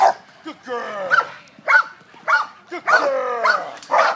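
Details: Italian Mastiff at work, named Kane, dragging a handler: loud, harsh barks with falling tones, repeated roughly every half second, mixed with human voices.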